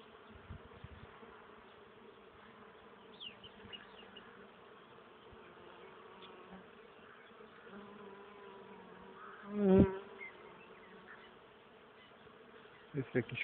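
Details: Bees foraging on a flowering maple on 31 March 2014 produce a low, even hum. A loud sudden rasping burst comes near the end, followed by a few handling knocks.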